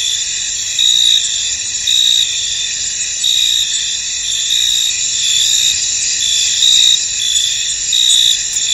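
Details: Misty-field crickets produce a steady, thin high trill while brighter chirps surface every one to two seconds, loosely spaced against the continuous insect background.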